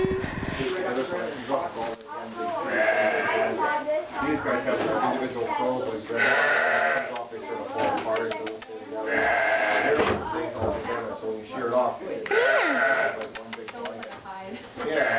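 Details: A baby alpaca (cria) at a breeding farm gives short, reedy squeaks like a high-note kazoo in repeated bursts while people talk nearby.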